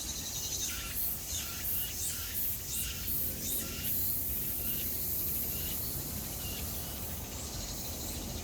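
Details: Cicada calling: a run of harsh, buzzy high pulses repeated about three times a second for the first four seconds, then fading into a steady high hiss over low background rumble.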